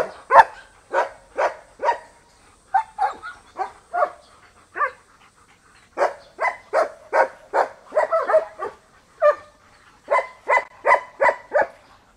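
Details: Old-style flat-backed German Shepherd working dogs at a breeding kennel bark at visitors walking among the pens; sharp, loud barks come in quick bursts of three to five, with short pauses and overlapping voices from more than one dog.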